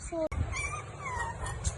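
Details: Puppy, one of the Great Dane, Shih Tzu, Chow Chow or American Bully puppies shown, giving short high whimpering whines that slide up and down, several in under two seconds, over low background hum and a brief click.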